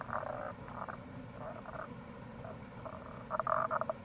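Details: Tago's brown frogs call faintly in April beside a gorge on the Kamo River in Itoshima, Fukuoka, Japan. Soft, muffled pulsed notes are half buried in loud stream noise, and a clearer rattling burst comes near the end.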